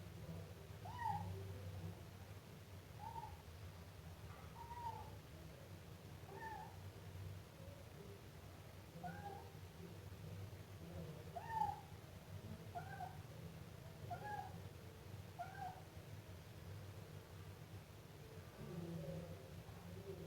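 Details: Siamese kitten calling in a long series of soft, short meows, a dozen or more spread across twenty seconds at uneven intervals, some stronger than others, with a steady low rumble beneath.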